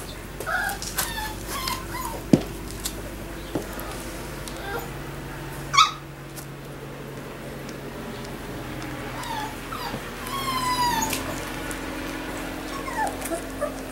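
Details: Three-week-old Labrador Retriever puppies: scattered short high yelps early on, a sharp squeal near the middle, then a longer wavering whine with rising and falling tones, over a steady low background hum.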